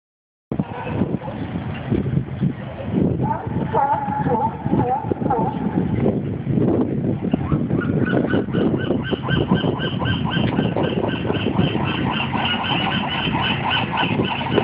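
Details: Sea lions barking at the old Fisherman's Wharf in Monterey, California: a dense chorus of hoarse, honking barks that overlap continuously, over a constant low rumble of harbour noise and wind.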